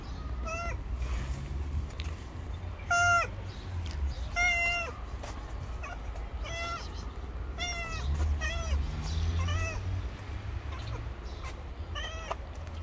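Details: Hungry stray street cat waiting to be fed, nervous but not running away, repeatedly meowing: about eight short, bright meows at irregular intervals, some sliding down at the end, over a constant low background rumble.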